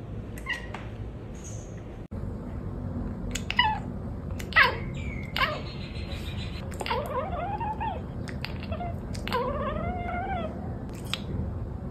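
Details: A pet cat chirping and chattering, October 2023 compilation: short clicks, then several bending, meow-like chirps and wavering trilled calls that rise and fall, with a low hum in the room.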